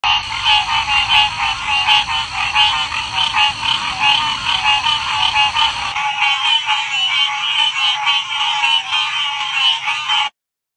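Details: Green tree frogs on the Gulf Coast give mating calls in a dense chorus of rapid, nasal, pulsing croaks that never pause.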